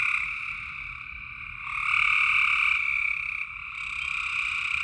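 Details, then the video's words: Nighttime frog calls in Tennessee: a steady shrill trilling chorus that grows louder and fuller near the second second, then eases back, with a lower buzzy layer beneath. "Tennessee frog sounds at night"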